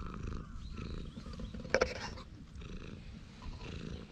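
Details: A stray cat being stroked on a bench purrs contentedly, captured by a GoPro HERO8 Black; soft low rumble interrupted near the middle by a couple of sharp clicks.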